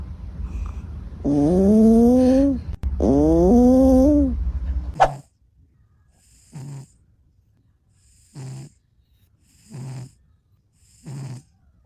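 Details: Sleeping domestic cat snoring: two long, loud, tonal snores at the start, then a run of short, soft, breathy snore pulses repeating roughly every two seconds in a quiet room.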